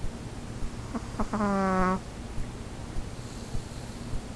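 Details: Fifi the dog snoring: a few soft clicks, then one short nasal voiced tone lasting about half a second, steady and slightly falling, before quiet breathing noise returns.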